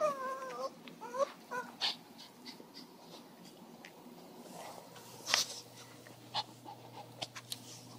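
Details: A small female Pomeranian Shih Tzu mix gives a few high, wavering whines that slide up and down over the first second or so, worried because her owner stepped outside; soft clicks and knocks follow in a quiet room.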